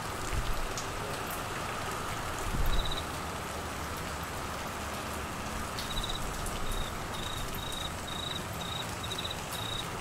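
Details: Cricket calling through heavy monsoon-season rain in Queensland, Australia, during flooding; thin, high chirps come in short, evenly spaced pulses from midway on, half-buried under the steady hiss of pouring rain.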